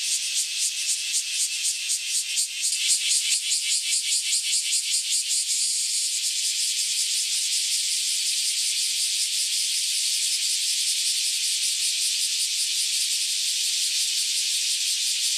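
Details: Massed cicadas, newly emerged after about ten years underground, roar in a dense high buzzing chorus with rapid pulsing that shifts in intensity, a strong beating rhythm easing into a steadier drone after a few seconds.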